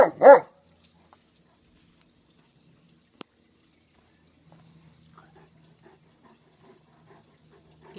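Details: German Shepherd dog gives a single loud, deep bark on a spoken German command to bark during a search, then goes quiet; faint rustling and a sharp click follow, and a man's voice resumes at the end.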